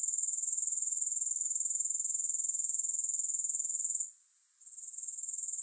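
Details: Grasshoppers, with no music. A steady, very high-pitched shimmering buzz made of rapid regular pulses. It fades sharply for about half a second near the four-second mark, then returns slightly softer.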